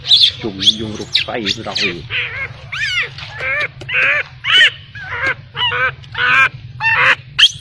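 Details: Abandoned baby macaque crying heartbreakingly, left by its mother: a rapid string of short, bent, harmonic wails and squeals, nearly two per second, some rising sharply and others dipping, against a constant low hum.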